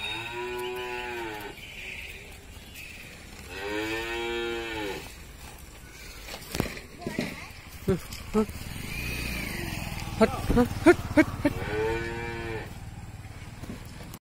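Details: Dairy cow in Bihar, India, of a high-yielding 35-litre milk type, mooing three times with nasal harmonic calls spaced several seconds apart, amid clatter and knocking sounds.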